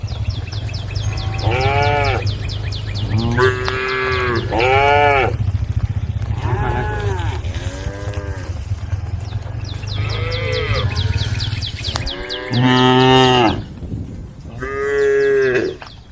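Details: A herd of cows on a road calls to one another, several mooing in turn with drawn-out rising and falling calls over a steady low rumble.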